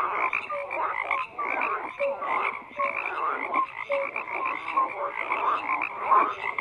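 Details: A thick chorus of croaking frogs, overlapping raspy pulsed calls running continuously, punctuated by short clear tonal notes recurring every second or so; the calling swells and dips but never stops.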